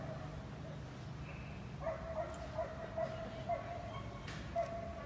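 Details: Belgian Malinois at the 7th working dog competition in Hanoi, Vietnam, during training: a run of about six short, clipped barks spaced roughly half a second apart in the later half, over a steady low rumble of background noise.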